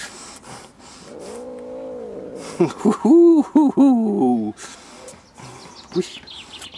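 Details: A female Siamese cat gives drawn-out, wavering, growly yowls rising and falling in pitch; the owner suggests grumbling may be a Siamese trait. People talk nearby.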